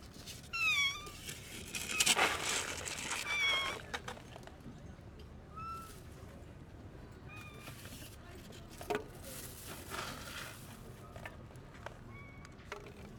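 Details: Hungry, neglected stray cat living among other strays, noisily eating found food and ready to fight other cats to protect it; repeated short, rising-falling, harmonic meows over nearly two seconds, with rustling bursts between calls.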